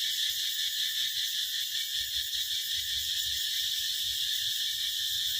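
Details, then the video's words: Cicadas singing in summer, a loud, steady, high-pitched buzzing drone that pulses slightly without a break, with nothing else standing out. "เสียงร้องจักจั่น เสียงประจำหน้าร้อน ♥ The Sound of Summer"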